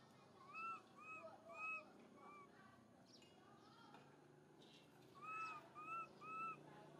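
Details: Young monkey MoMo calling its mother Malika in a park: clear arched, whistle-like coos, rising then falling, delivered in two bursts of three to four calls with fainter calls between, over a soft steady outdoor background.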